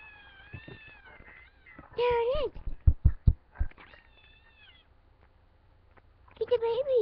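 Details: Female house cat searching for kittens gives drawn-out wavering meows, a short burst of knocks and taps in the middle, then a final rising-falling meow in a quiet room.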